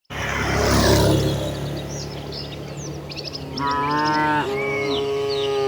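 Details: Tame village cattle in a herd walking together toward their shed, one animal giving a drawn-out harmonic moo that rises into a steady tone in the second half, over a rumbling outdoor background with faint bird chirps.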